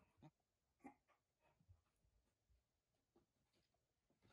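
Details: A beagle, possibly a puppy, barks at a shadow, giving a couple of short, muffled barks with quieter huffs and rustling in between.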